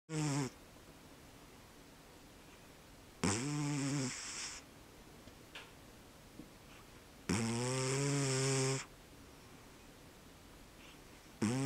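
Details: Sleeping cat snoring heavily: three long, rasping, harmonic-rich snores roughly every four seconds, each a second or more long, with near silence between them.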